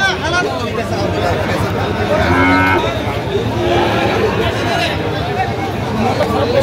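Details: Sahiwal bull calves at a cattle market in Kurigram, Bangladesh, on 9 November 2025, where a farmer is buying them: a short, low moo rises out of the steady crowd chatter and men's voices around the stalls.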